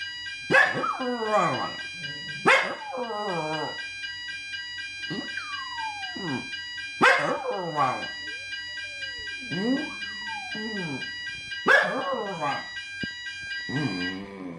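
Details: A Jack Russell Terrier sings along to the building's weekly fire alarm test with a series of yodelling howls, rising then drooping and breaking into yips, repeated roughly every two to five seconds against a constant piercing alarm tone.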